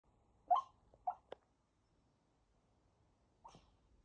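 A sleeping Maltese makes a few soft, muffled whimpering yips, then falls quiet before one more.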